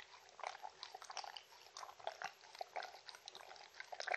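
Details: Mindy the Shetland Sheepdog lapping and munching, with quick wet slurps and clicks in bursts several times per second, bright and close.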